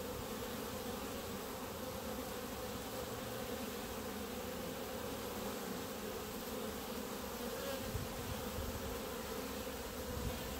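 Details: Honey bees clumped on the grass in front of their hives: a dense, steady hum with a strong low-mid drone band, unbroken for the whole stretch, no other clear sounds.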